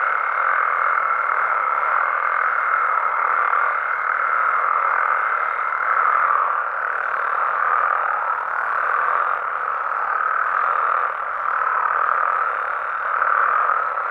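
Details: Frogs and toads calling at night in their natural habitat in Mexico: a dense, unbroken chorus of overlapping trilling croaks forms a steady wall of sound, and a thin high whine runs beneath it for the first six seconds.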